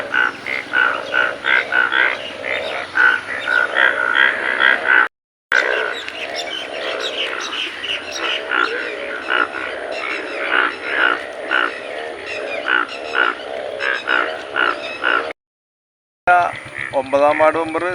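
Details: Chorus of large yellow frogs gathered in their hundreds in a paddy field by Elookkara ferry junction, appearing one morning after rain. Rapid, clipped croaks repeat in steady overlapping pulses, broken by two short cuts to silence.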